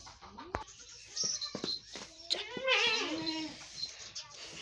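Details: Goats on a farm on the second day in a new shed, giving several short, wavering, nasal bleats. The longest bleat is midway, among sharp knocks and clatter, with faint human voices in the background.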